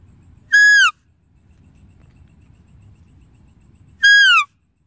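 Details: Deer calling twice, about three and a half seconds apart: brief, bright whistles that fall in pitch and carry strong harmonics, with a faint low rumble between them.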